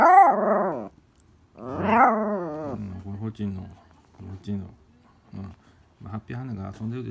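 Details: Elle, a Toy Poodle, insistently asks Happy Hanna for the ball: two long, wavering whiny moans, then a run of short, low grumbling yips in quick succession.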